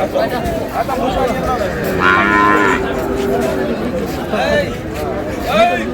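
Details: Sahiwal bull calves at a cattle market bought by a Dhaka farmer on 16 March: one drawn-out moo in mid-clip and a few shorter lows, under steady crowd chatter and market noise.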